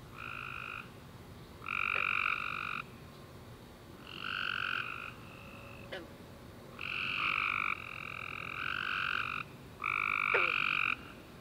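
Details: Tree frogs chorusing at night after a warm, rainy summer day; rapid buzzy trills come in bursts about a second long, some overlapping, separated by short pauses, over a steady background hiss with a few faint clicks.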